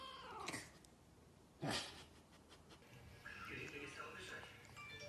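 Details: A cat described as a shorthair Maine Coon "caracat" gives short, sharp meows, then a longer drawn-out wavering call.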